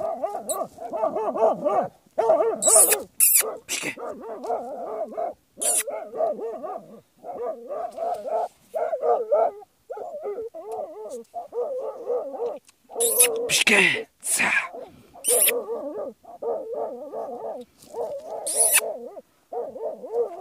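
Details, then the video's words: Jagdterrier hunting badgers, giving long runs of fast, harsh barks, with sharp hissing or scraping bursts breaking in between the volleys. "Jagdterrier vs bursuci"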